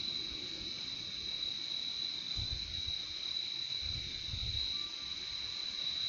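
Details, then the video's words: Crickets produce an even, piercing trill that never pauses, layered over a quieter lower hum, with a few soft low thuds near the middle of this peaceful nature recording. "Relaxing sound of crickets"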